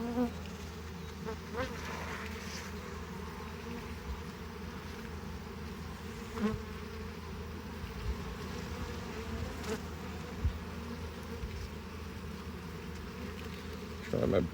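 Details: Honey bees working on a frame while their hive is opened for harvest and expansion: a long, unbroken low hum with banded tones, broken by occasional sharp taps and knocks from handling.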